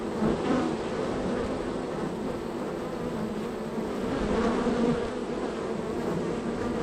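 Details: Busy honey bee hive, number three on the row, with heavy entry and departure traffic; a continuous low droning hum of many bees, swelling slightly near the start and again around the fourth second.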